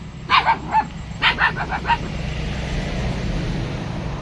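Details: Dog barking: a quick run of short, sharp barks in two bursts over about two seconds, then steady low background hum.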